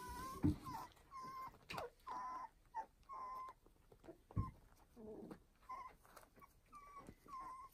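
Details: A new litter of fostered puppies, about two and a half weeks old, whimper in short high whines, repeated about every second, with some soft low thumps and rustling.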